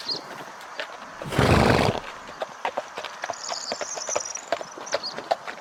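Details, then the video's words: Horse neighing amid a herd of galloping horses: rapid clip-clop hoofbeats throughout, broken by one loud, rough burst of about half a second near the start, then lighter scattered hoof clicks. "O SOM DO CAVALO RELINCHANDO"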